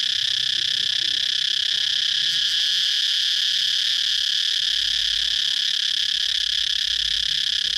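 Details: Cicada calling with a steady, loud, shrill drone, a dense unbroken buzz that holds constant pitch for the whole stretch, with faint low rumble beneath.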